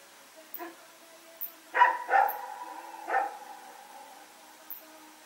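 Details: Dog named Rex with a companion, running around at night, recorded September 21, 2018; a few sharp barks, one faint then a close pair and a later single, over a quiet low hum.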